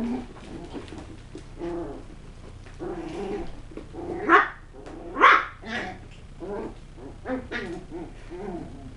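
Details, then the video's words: West Highland White Terrier puppies from a kennel, playing with tricks and threats indoors; short high yaps and whimpery barks come in an irregular series, with two louder sharp barks in the middle. "Puppies - Tricks and Threats - West Highland White"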